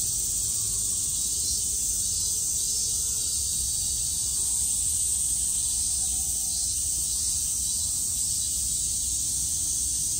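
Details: Crickets in Tokyo, Japan keep up a dense, unbroken high buzzing chorus on a hot, humid summer day (about 71% humidity), the characteristic sound of Japanese summer.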